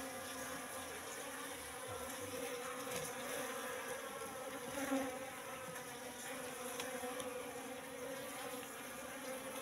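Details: Wild Apis cerana colony settled three months in a trap box while the comb is opened for inspection; a continuous droning buzz with a brief louder swell midway and faint handling noises.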